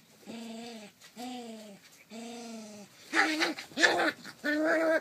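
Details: Rough Collie puppy aged 33 days, recorded 28 July 2012, gives three clear, even, moaning whines, then three louder, rougher, harsher growling cries in close succession.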